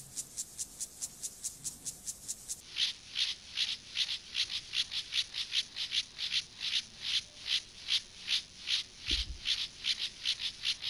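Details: Male Siberian grasshopper (club-legged grasshopper) performing courtship stridulation toward a female before mating: a steady train of short, hissing rasps repeated about two or three times per second, shifting to a slightly lower, broader rasp partway through.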